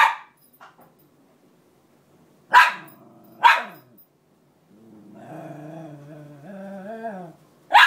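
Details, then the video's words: Female Cairn Terrier crying to get her bed back: a few sharp bark-like bursts, then a long wavering harmonic whine rising and falling before another sharp yelp at the end. "Cairn terrier crying continues to get her bed back"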